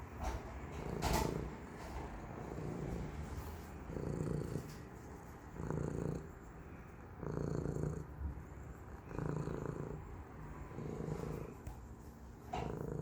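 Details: Purring from Cisco, a pet cat, a steady low rumble that swells and fades in cycles about every one and a half seconds, with a brief brighter noise near the start.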